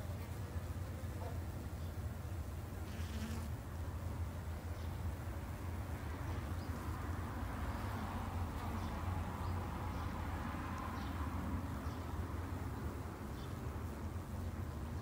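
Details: Japanese honey bees kept in a garden apiary, buzzing as a low continuous hum with a steady drone, faint higher tones rising and falling as individual bees fly past, no other clear sounds.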